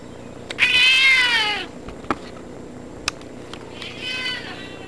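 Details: House cat sitting in a bathtub, meowing loudly: one long bright meow that rises then falls, followed by a few sharp knocks and then a second, softer meow near the end.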